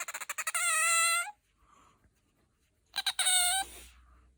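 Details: High, piercing squeals from Bingo the pet otter, a voice described as soprano and higher than aquarium otters. Quick chirps lead into a long, steady, harmonic squeal, and after a pause a second chirp-and-squeal burst follows.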